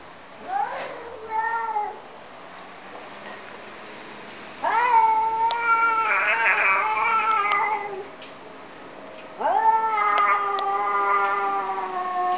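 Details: Two domestic cats 'talking' to each other indoors: three long, drawn-out, wavering meows, each several seconds long and rich in overtones. The first is short and broken, and the later two are sustained yowls separated by quiet pauses.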